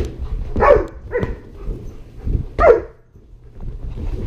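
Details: Great Pyrenees Border Collie mix dogs, one-year-old Sterling and five-month-old Lexi, playing indoors at Sterling's first birthday with balloons, filmed on a GoPro; a few short, yelping barks spaced about a second apart over a low hum.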